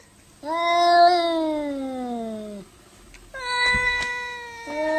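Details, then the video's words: Domestic cat in an angry fight, letting out a long descending wail, then after a short pause a flatter, steady yowl with a scuffling thump underneath, ending on a rising note. "FUNNY CRAZY CAT SAY WOW 2015 2016 fighting angry boxing"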